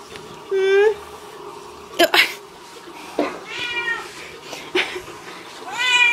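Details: Indoor cat reunited with its owners, giving a short low mew, then a higher sliding meow and a rising one at the close, amid a woman's fond French chatter and a few sharp knocks.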